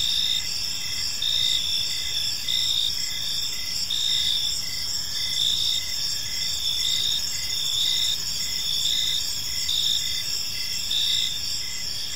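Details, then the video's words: Park crickets at evening keep up an unbroken high-pitched trill, punctuated by short lower chirps about 48 times a minute, with a faint low murmur of background noise. "Cricket Sounds in a Peaceful Park"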